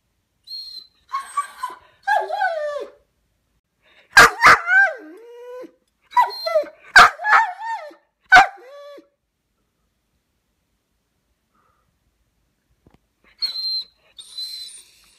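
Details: Dog separated from its brother during a vet visit, calling indoors: high whimpers and yips, then a burst of sharp barks with whining tails, a long silence, and faint high whines at the end.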